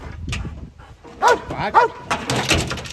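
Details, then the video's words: Dutch Shepherd guarding a vehicle during training gives two quick barks half a second apart, amid rustling and noisy background sounds. "Vehicle Guard with Dutch Shepherd"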